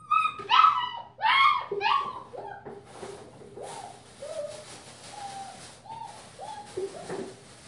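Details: Five-week-old female German Shepherd puppy giving a burst of sharp, high yelping whimpers, then softer, drawn-out whines repeating about once a second over a faint hiss.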